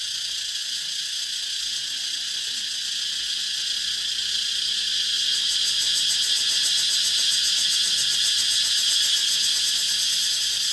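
A dense cicada chorus makes a shrill, unbroken metallic drone high in pitch. About halfway along, a fast, regular throbbing pulse rises over the hiss and continues to the end.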